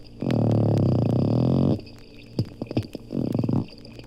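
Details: Underwater at the Lerner Marine Laboratory, Bimini, Bahamas, two captive dolphins give a loud steady creaking buzz of rapid clicks, then a few separate clicks and a shorter second buzz.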